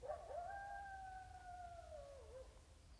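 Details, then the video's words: A coyote howls in the distance in California grassland, one long, steady howl of about two seconds, rising at the start and dipping at the end, over low background rumble. "Coyotes howling in the distance"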